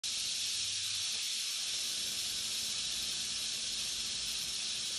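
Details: Captive black-tailed rattlesnake rattling: a continuous, steady, hissing buzz that stays unbroken for the whole stretch, with no other sounds.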